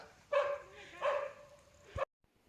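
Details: A female dog barks at langurs; she is described as very quick and once caught one before the other langurs came to free it. Two loud, ringing barks about three-quarters of a second apart, then a sharp knock.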